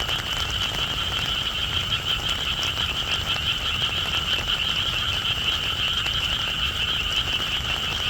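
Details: Frogs calling in the rain: a dense, unbroken chorus of overlapping high trilling calls forming a steady bright band, over constant low rain patter.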